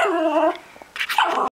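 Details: Six-and-a-half-month-old male Norfolk Terrier meeting a balloon for the first time gives a brief wavering, high-pitched whine, then short noisy bursts and a rising yelp.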